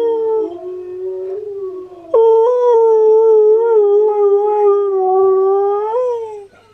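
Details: Singing husky Steel, heard by fellow husky Key: a low, wavering howl jumps abruptly to a higher, sustained, gently undulating note that slides down at the close.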